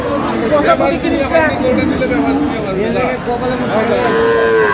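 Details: Dairy cows with calves at the Aftabganj cattle market, Dinajpur, Bangladesh: several short overlapping lowing calls amid crowd chatter and speech, with a clearer sustained moo near the end.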